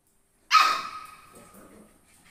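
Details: A puppy climbing a fence gives one sharp, high yip that starts abruptly and fades over about a second, followed by faint rustling.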